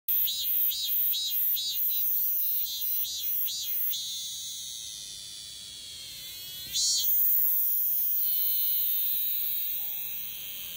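A male cicada sings a shrill, high buzz, first in rapid pulses and then as a steady drone.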